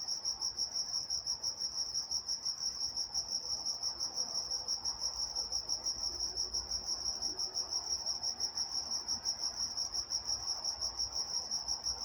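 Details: Crickets at night in Walnut, California keep up a high, even, pulsed chirping, about three pulses a second throughout, with a second thin upper tone and gentle background hum.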